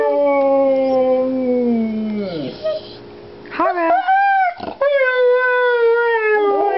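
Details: Huskies Haro and Federer, lying down, sing a duet. A long steady howl sinks in pitch, then overlapping wavering howls rise and fall in a choir-like exchange, with a brief human voice in between.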